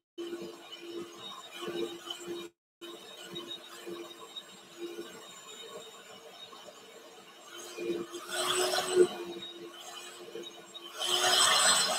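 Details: Quiet indoor room noise with a low steady hum, a brief dropout, and soft rustling and clattering near the end, without any animal call.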